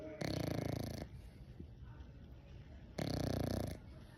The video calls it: English Bulldog Puppy Snores 🐶